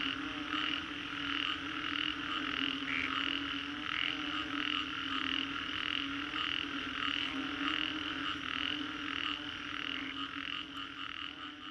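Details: Frogs in Singapore's Green Corridor after a storm, captured as a 3D soundscape: rhythmic pulsed calls repeat about every half second over a continuous low-droning chorus, the beat steady through the whole stretch.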